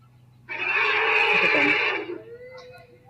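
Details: African elephant cows in a herd of roughly 50 to 70 at a waterhole, 8 September 2023, near the pump as a bull pushes through to drink, give a loud, harsh, blaring call lasting over a second, voicing frustration.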